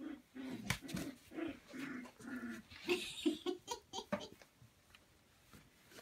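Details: A litter of Samoyed puppies at play with a pool noodle, Prince Edward Island, Canada, December 28, 2015; low rumbling growls in short pulses, mixed with huffs, scuffles and a noisy room.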